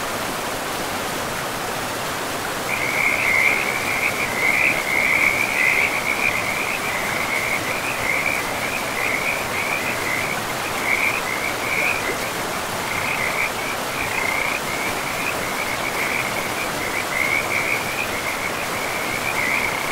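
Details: Frog chorus by a river in pristine forest, starting after a quiet opening: quick, irregular trilled notes repeat about 107 times a minute at one mid-high pitch, loudest early on, above continuous rushing water.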